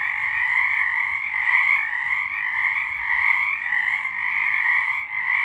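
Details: Night-time frog chorus recorded in March 2023, continuous overlapping high trills blending into a steady shimmering drone with small swells and a brief dip near the end.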